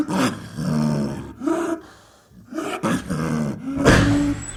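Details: Snow leopard, a high-mountain cat said to be recorded in the wild: three short, hoarse, moaning calls with a rich harmonic tone, each under a second long and separated by brief pauses.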